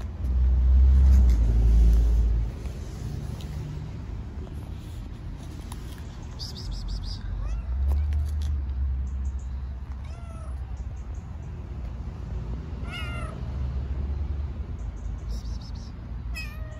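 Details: Hungry stray kittens on an Istanbul street meow on seeing the person who feeds them. A few short, tonal mews come late in the clip over constant loud traffic rumble and passing vehicles.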